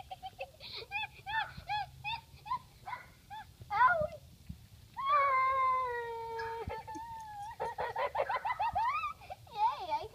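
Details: Great Pyrenees–Akita mix dog vocalising in quick, bouncing yips that lead into one long, steady, slightly falling howl, then more rapid wavering whines and a rising moan at the end.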